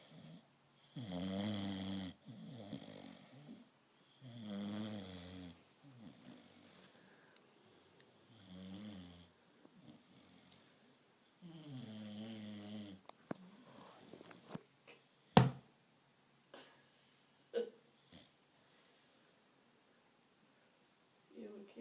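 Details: An American Bulldog asleep, snoring in a small room: deep, rasping, rhythmic breaths in bursts about every two seconds, fading to quieter wheezes, followed by a few sharp knocks and clicks.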